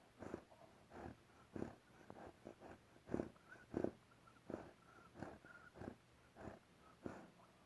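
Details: Sleeping bear snoring with a whistle: soft breathy bursts roughly every 0.6 to 0.8 seconds, with thin whistling tones drifting between breaths, all quiet and indoor-sounding.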